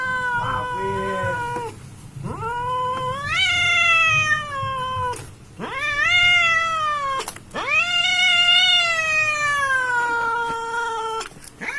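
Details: Pair of cats fighting in a village, producing a series of howling yowls that each rise sharply then ease down slowly, with a low rumbling murmur underneath.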